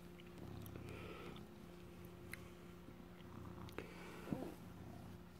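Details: Low, soft pulsing purr from a male former stray cat, now an adopted house cat, guarding cheese he stole. Recorded indoors with a steady electrical hum, occasional clicks and a person talking quietly to him.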